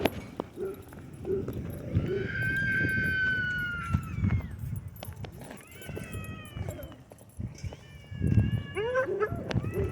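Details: Husky Shepherd mix dog at a dog park, whining for an unknown reason, possibly after hitting himself with a rope. Drawn-out tonal whines slide downward in pitch, in three separate bouts, over low rumbling noise and background voices.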